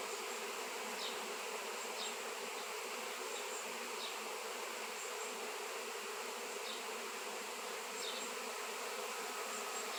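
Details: Honey bees swarming around a raw seven-pound shungite stone make a continuous, even buzzing drone throughout, with a few faint, short high ticks scattered over the steady hum.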